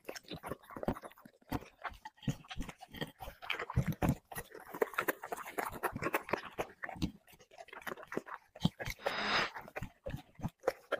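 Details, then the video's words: Dog feeding on chicken and vegetables, mukbang style: steady crunchy chewing and biting, repeated smacking clicks at irregular fast intervals, a short noisy burst near the end, no other voices clear. "dog eating 5 plate unlimeted chicken 🍗 vegetables mukbang"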